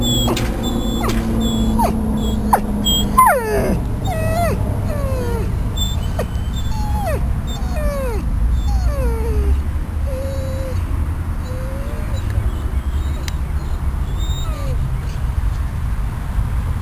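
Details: Riddick, a dog visiting outdoors on the grass at Bryanston Veterinary Hospital after leaving ICU, uncomfortable and probably hungry, whines in a long series of high, falling, drawn-out whimpers, some short and wavering, over a steady low rumble of traffic or machinery.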